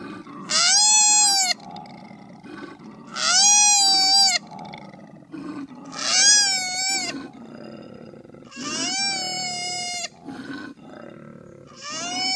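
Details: Young koala driven down from a tree, crying: five long, nasal, wailing cries with a slight rise and fall, about every two to three seconds, with a rough, grating murmur between them.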